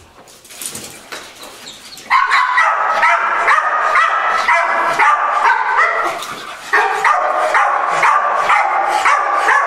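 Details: Patch, a Pit Bull extremely reactive at the mere sight of another dog, barks in rapid, harsh, steady bursts after a quieter opening of two seconds.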